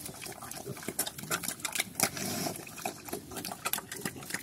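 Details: Piglets on a farm in Cambodia, called Chrouk Kandorl locally, running around actively; short low grunts rise briefly amid a dense stream of sharp clicking and smacking noises, with a louder squeal-like burst near the middle.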